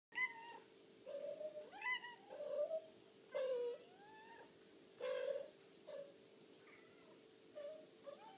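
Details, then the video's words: Several domestic cats meowing to demand food indoors: repeated drawn-out meows, some rising then falling, others short and nasal, coming roughly every second or two with brief pauses, a steady low hum beneath. "Cats demand food"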